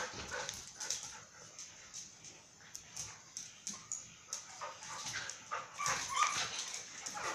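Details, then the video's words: Mai and Mocca, two dogs at Phuket Dog Resort, romping in play; rapid, uneven yips and gruff snorts tumble over one another, growing louder and denser near the end. "Mai and Mocca playing"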